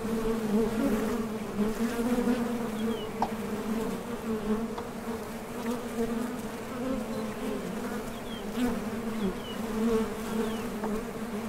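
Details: Honey bees flying to and from a top bar hive entrance in search of nectar, producing a continuous layered buzzing drone with faint higher whines of passing bees.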